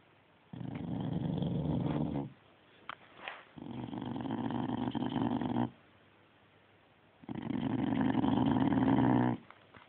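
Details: Domestic dog growling in three long, low rumbling bursts of about two seconds each, separated by short quiet pauses, recorded indoors on a phone.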